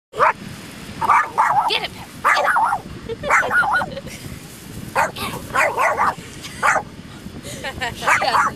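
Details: Dog playing with a feather in sand, giving short, sharp barks and yips in quick bursts throughout, with human voices talking and laughing over them.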